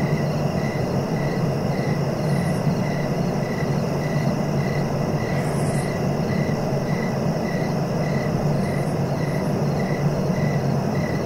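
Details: Cricket chirps for falling asleep: an evenly timed, repeated chirp about twice a second, punctuated by a few brief high-pitched buzzy bursts, with a persistent low rumbling background.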